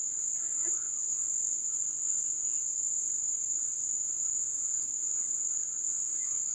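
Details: Wild crickets singing during the ebb season: one sustained, piercing high note runs without break, while brief faint chirps flicker early on behind the even drone.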